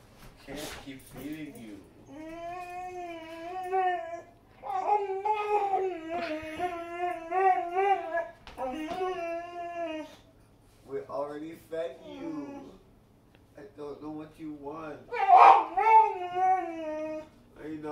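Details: Boxer dog in a room, vocal and begging for more food after a big serving of kibble, makes a long series of wavering, talk-like whines, some held over a second, broken by short pauses and rising yelps.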